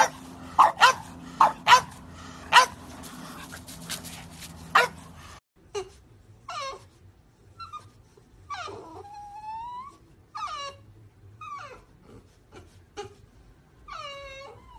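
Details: French Bulldog puppies give a run of short sharp barks, then high whimpering yelps and whiny cries that rise and fall, spaced about a second apart, in a quiet room.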